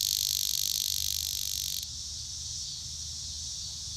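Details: Close cicada buzzes loudly and intensely, then abruptly drops to a softer, steady high whine that carries on to the end.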